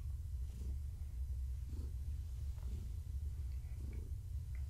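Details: Purring from Gaia, a long-haired tabby heavily pregnant with kittens, as she is petted indoors in the evening. A continuous low rumble swells in a slow breathing rhythm, with soft pulses about once a second.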